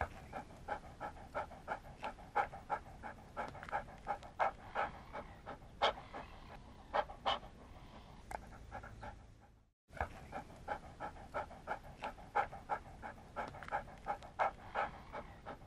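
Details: A dog pants steadily in fast, even breathy puffs of about three a second, some stronger than others. The sound breaks off briefly in near silence midway, then the panting resumes at the same pace.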